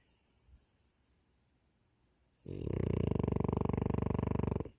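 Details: Snoring French Bulldog: near silence for over two seconds, then one long, loud, rattling snore lasting about two seconds, with a coarse, vibrating low rumble.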